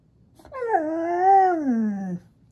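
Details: Indoors, Maya the Husky 'talks' back to Alexa with one drawn-out howl lasting under two seconds, rising slightly midway, then sliding lower to fade out; the room is otherwise quiet.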